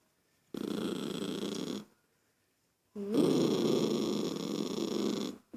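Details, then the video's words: Irritated by a child's noise, the toy poodle Lucky growls twice indoors: a rough rumble of over a second, a pause, then a louder, longer, grating growl of over two seconds. "Poodle irritado com a criança fazendo. Barulho"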